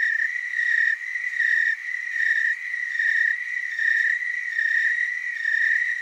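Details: Overlapping tree cricket trills from the Willamette Valley, Oregon, forming a near-continuous high-pitched musical buzz with gentle swells about every 0.8 seconds and little pause between pulses.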